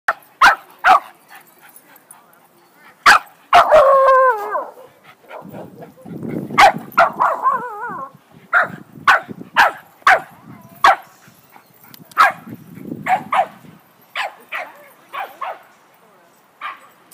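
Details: Dog barking during play, sharp loud barks repeated in irregular bursts with a few wavering whine-like yelps and low growls between; a person cheers the dog on and applause is heard.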